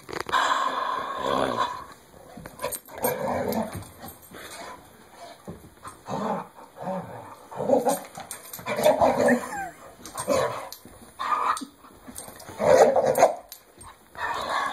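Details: Dog indoors savaging its Kong bone toy in play: repeated rumbling growl bursts of one to two seconds, separated by short pauses, with occasional yips and a person's voice urging it on.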